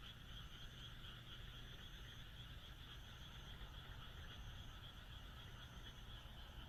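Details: Countless frogs croak together on a moonlit rural night in Japan, a continuous trilling chorus with slight pulsing, intermittent faint high buzzes, and a quiet low background hum.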